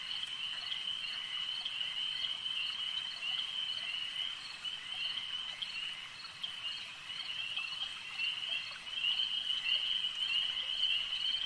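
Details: Massed frog chorus at a lake, a continuous high trilling wall of sound from countless callers that dips slightly midway, then swells louder near the end.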